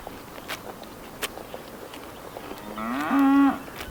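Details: Cow in a green pasture, looking for food, lets out a short, higher, strained moo near the end after a stretch of faint rustling and knocks.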